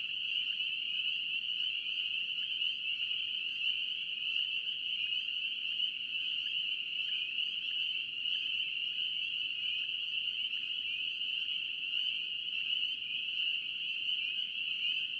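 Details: Spring peepers in North Carolina calling together as a dense chorus, a steady high-pitched shimmering band of overlapping peeps with no gaps, faint low rumble beneath.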